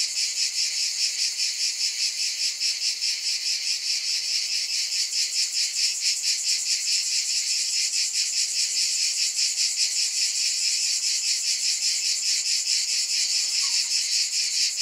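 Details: Cicadas in a steady, high, hissing buzz that throbs in soft pulses about two to three times a second, holding constant loudness for the whole stretch with no other sounds.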